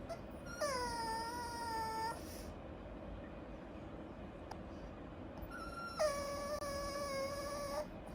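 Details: Whining Japanese Chin puppy from a breed known for being quiet: two long, steady, nasal whines, each about one and a half seconds, separated by a few seconds of near silence with faint indoor background noise.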